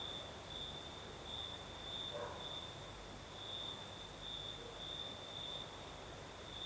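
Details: Night chorus of crickets in southern Crimea under a night breeze, a high pulsing chirr beating in quick repeated bursts, joined by a thin, higher steady shimmer and faint low rustle of air.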